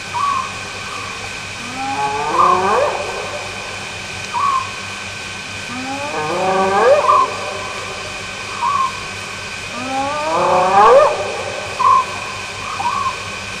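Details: Spotted hyenas whooping in the early morning hours at Nkorho Bush Lodge, South Africa, on 11 May 2011: three long, rising, harmonic whoops about four seconds apart, mixed with short repeated owl-like hoots over a steady electrical hum.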